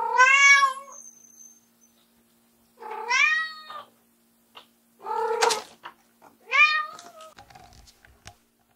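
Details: White short-legged Munchkin cat Ram, a female born January 2014, keeps crying loudly to summon her owner back to the room; four strong harmonic meows, some rising then dipping, with faint knocks and clicks between calls.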